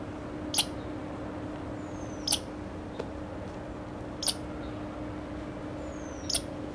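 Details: American red squirrel giving scolding notes at Grand Forks, North Dakota, 01 July 2009: four short, harsh chips every one and a half to two seconds, a couple of thin downward-sliding whistles, and a steady low hum underneath.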